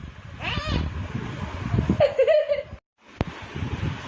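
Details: A domestic cat described as talking with its mouth open gives two short, wavering meows, one early and one midway, against murmuring human voices, low room rumble and a sharp click near the end.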